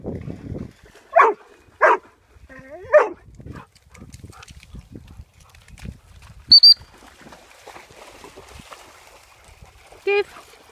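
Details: Female Labrador Retriever guide dog, Hetty, playing in mud on a Sunday: three quick barks in the first few seconds, a brief high whistle-like tone midway, one more bark near the end, and a person urging her on to play and fetch.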